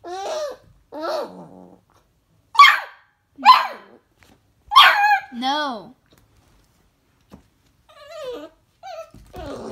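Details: Beagle puppy reacting to a hamster indoors: a string of loud, high yelping barks and arching whines in separate bursts about a second apart, followed by softer short whimpers near the end.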